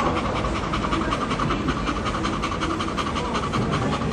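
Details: A pet Bull Terrier looking for a place to rest pants steadily, with quick, rhythmic, breathy huffs about two or three times a second and no other sounds.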